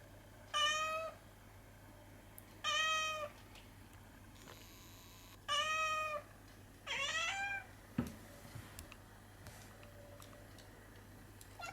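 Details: Small-voiced domestic cat darting around after light reflected on the ceiling, giving four clear, even meows spaced a few seconds apart, the last one bending upward, followed by a dull thump and faint room noise.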